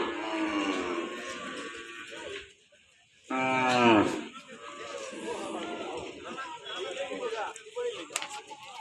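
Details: Local dairy cows at a busy cattle and buffalo market in Bangladesh: one loud, harmonic, drawn-out moo rising then falling over about a second, amid crowd chatter, a man talking, and clatter.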